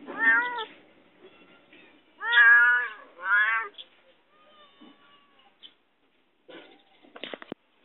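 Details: A locked-in cat pleading for help meows three times in quick succession, the last two loud and drawn out, then goes quiet before a few sharp knocks at the end.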